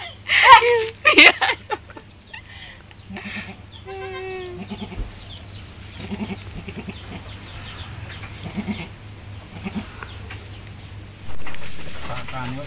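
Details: Etawah goat, a mother with three newborn kids: a loud harsh burst early on, then a clear quavering bleat with stacked harmonics near four seconds, followed by quieter rustling, soft murmurs and a final broad noise burst.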